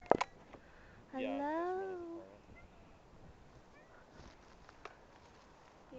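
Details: A big cat that wandered into a yard meows once while being played with: a single drawn-out, tonal meow lasting about a second, rising slightly then sliding down, with a few sharp clicks before and after in a quiet setting.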